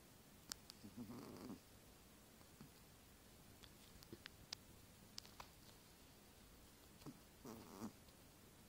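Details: Pet dog asleep under a white blanket, snoring, the first time its owner heard it: two rough, muffled breathy snorts about six seconds apart, quiet, with faint scattered clicks between them in a small indoor space.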